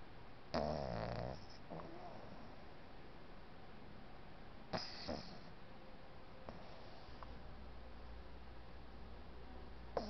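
A Boston Terrier puppy snores in low, rattling bursts, with quieter breathing between the louder snorts.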